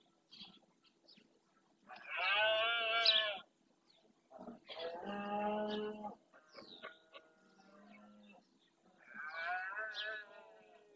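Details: Red deer stags bellowing during the rut (berrea) in the Doñana National Park marshes, Spain, males claiming territory; three harsh, harmonic-rich roars of one to two seconds each, separated by quiet gaps with faint lower grunting.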